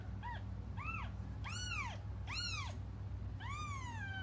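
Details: Cats cry for their absent mother with five distinct arched mews, growing louder and longer, the last one stretched and falling slowly, over a continuous low hum.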